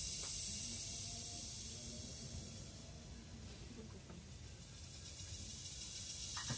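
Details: Philippine cicada, or kuliglig, in forest: a high continuous buzzing drone that dips a little in the middle and rises again, with scattered low background sounds.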